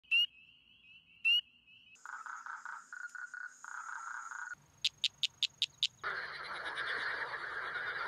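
Male frogs of several kinds call in turn to attract females: whistles, pulsed trills, sharp clicks and a chorus.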